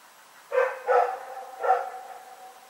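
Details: Rex, a dog at Pyrga, barking in the night on February 27, 2018: three sharp, harmonic barks, two close together and then a third after a short pause, with a fading tail and a quiet background.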